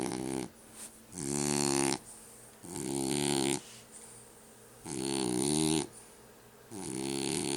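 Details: A French Bulldog snores with five rough, rattling breaths, each roughly one second, some with a hissy airy edge, repeating irregularly about every one and a half seconds.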